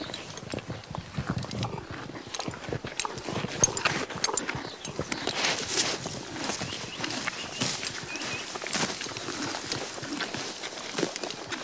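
A horse crunches and tears grass, a steady run of crisp, uneven bites and chewing.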